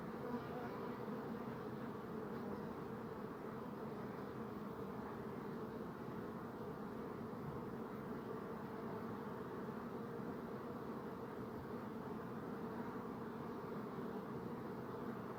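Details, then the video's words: A dense, unbroken drone of buzzing bees, low and even in loudness throughout, with no other clear sounds. "Bee Buzzing Sound"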